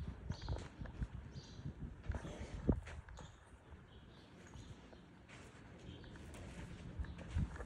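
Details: Buckskin Quarter Horse filly, two years old, moving on the lunge; soft, irregular low hoof thuds on the ground, with faint high chirps and light background hiss.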